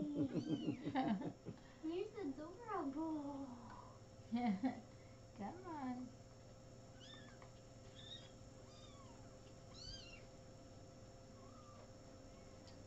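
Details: Little kittens filmed on 13 May 2017: loud wavering meows crowd the first six seconds, then fainter, higher thin mews follow at intervals, all over a constant low hum with some speech nearby.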